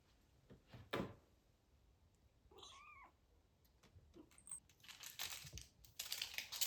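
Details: British Shorthair kitten, 43 days old, from a litter of golden and blue kittens, indoors during a photoshoot and playtime with crinkly paper, balls and tunnels; one brief, thin mew that bends up then down, amid paper crinkling, rustles and clicks.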